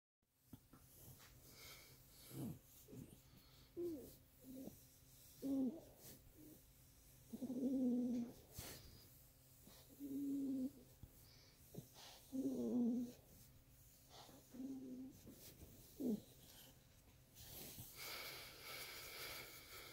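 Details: Miniature Pinscher making pleasure noises: low moaning, groaning vocal bursts in short tonal swells, some rising then dipping, recurring every two to three seconds with soft breathing between them in a quiet room.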